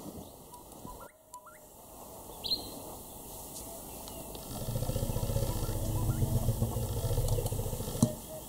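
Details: African elephant at Tembe Elephant Park, KwaZulu-Natal, South Africa, July 2019, met on the way back to camp; a deep, pulsing low rumble swells over the last few seconds, after scattered faint bird whistles and clicks in the first half.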